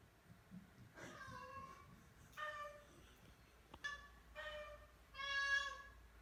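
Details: Oriental Shorthair cat honking on the first day brought into a new house, part of a vocal group of four; five loud, rich harmonic meows, each about half a second, repeated roughly every 1.3 seconds, indoors.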